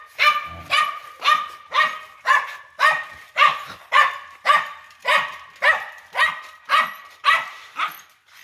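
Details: Steady, evenly paced barking from a big-bellied dog, about sixteen sharp barks roughly two per second, each bark clipped and harsh, kept up in a regular rhythm throughout.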